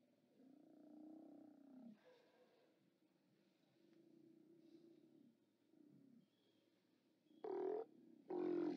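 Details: Steller sea lions at a haulout, 29 October 2017, live cam: a long, low moaning call over the first two seconds, softer murmurs in the middle, then two abrupt loud harsh roars close together at the end.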